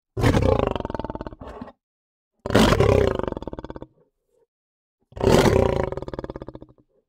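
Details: Lion roaring in three loud, harsh bursts of about a second and a half each, rich in layered low tones, with clean silent gaps between them and no other sounds.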